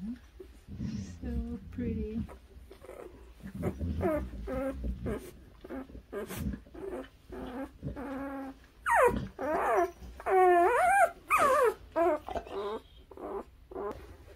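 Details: Newborn puppies, from birth to three weeks old, squeak and whimper in short bursts. Soft low whines give way to loud, high, rising and falling squeals near the end, with quiet human voices early on.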